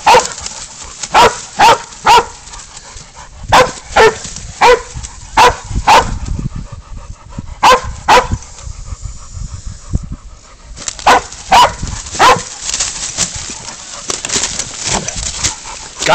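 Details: Pig dog named Spud holding a goat at bay in a catch-and-release hunt: loud, clipped barks repeated in quick irregular runs, a short pause midway, then more barking, with a handler calling out nearby.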